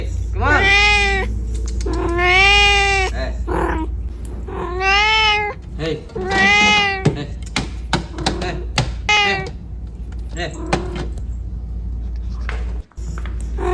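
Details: Domestic cat inside a refrigerator giving long, drawn-out meows, rich in harmonics and rising then falling, about five in the first ten seconds, followed by fainter short calls and sharp clicks or knocks over a steady low hum.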